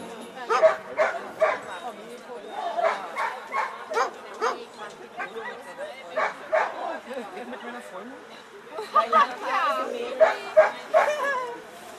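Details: Eleven-year-old American Staffordshire Terrier Chefrem of golden Samurais at a German VPG protection dog exhibition, where the helper throws away the bite sleeve; sharp barks come in quick irregular bursts, some with yelps, over steady German conversation from people nearby.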